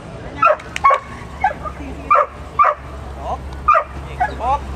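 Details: Dartagnan, a Scottish Terrier competing in agility, barks sharply about eight times in under five seconds, short clipped barks in an uneven rhythm over a constant low hum.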